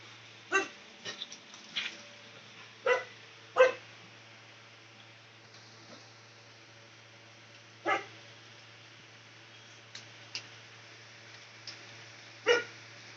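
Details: Dog barking at a distance: a few sharp, scattered barks separated by gaps of several seconds, faint against a steady low hum and background hiss.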